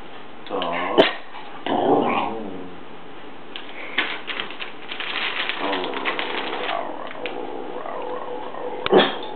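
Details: Two dogs 'telling it like it is': wavering, moaning vocal sounds in short bursts, rising and falling in pitch, with quieter stretches and a sharp click near the start and end.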